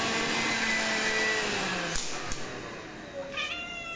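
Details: Bengal cat demanding to be played with using a vacuum cleaner it loves; a steady vacuum roar fills most of the recording, then one short, harmonic-rich meow rises and falls at the end.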